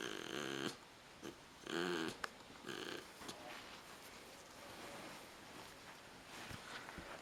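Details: A pit bull dozing after its bath lets out three rough, buzzing snores in the first three seconds, each about half a second long, then quieter breathing under a steady background hiss.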